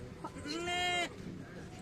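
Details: Goat at the Friday market in Morppalayam, giving a single bleat about half a second long, wavering and slightly rising with bright harmonics, over background crowd chatter and voices.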